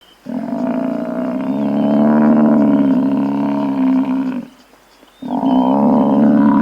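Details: Buffalo giving a long, deep, steady moaning bellow of about four seconds, rich in harmonics. After a short pause a second, similar low bellow begins. A faint high whistle-like sound lies in the background.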